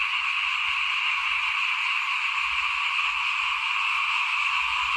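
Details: Frogs calling in front of a house at rice sowing time in 2021: a dense, unbroken chorus of buzzy trilling voices merging into a steady shrill hum, with faint low rumbles underneath.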